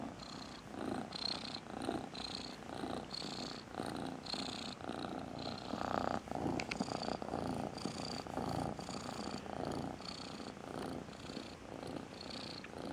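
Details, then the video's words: Cat giving a powerful purr dubbed the "tractor driver's song": a dense rasping rumble with a regular pulsing beat, each breath cycle brightening into a buzzier rattle, sustained throughout. "Cat purrs.120 dB "Песня тракториста""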